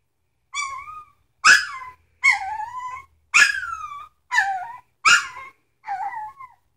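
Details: Sitka x Izzi puppies, three weeks old, whimpering nonstop: seven high, wavering whines, each roughly half a second long, follow one another at steady intervals, some breaking into sharp yelps, in a quiet room.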